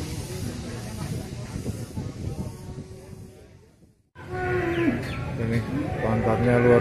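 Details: Limousin cattle at the Grabag cattle market, 25 April 2022: after a near-silent gap, a brief low harmonic moo breaks through busy market noise, with murmuring voices and faint high chirps.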